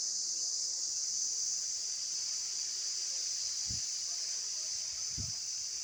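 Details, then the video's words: Outdoor insect chorus: a continuous high-pitched hissing drone without pauses, interrupted by two brief low thumps near the end. "Visual Sound effects By Insects"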